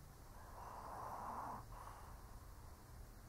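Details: Old Shih Tzu dozing, letting out one long raspy snore that swells and fades, then a softer breath, with faint low hum in the room.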